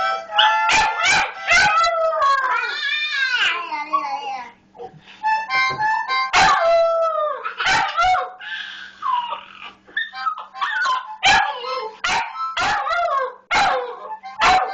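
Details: Puppy howling and yipping along with a toddler to a harmonica, a playful duet; wavering, sliding howls over reedy harmonica chords, broken by sharp clicks and bumps.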